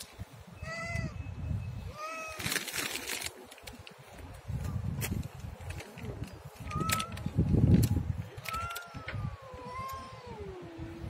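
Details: Siamese cat meowing repeatedly: short tonal meows early on, then a longer wavering call that slides down in pitch near the end, with low rumbling noise and scattered knocks and rustles behind.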